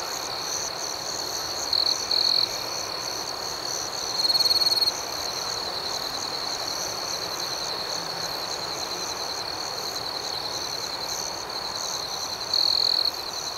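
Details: Crickets at night, a steady high-pitched trill running throughout, with fast rhythmic pulsing chirps above it and three louder shimmering bursts near two, four and thirteen seconds; no other sounds.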